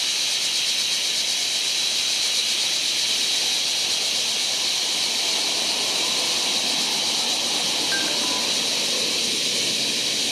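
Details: Large brown cicada in July giving a continuous harsh sizzle that stays steady and loud from start to finish; a brief faint tonal note appears near the eighth second.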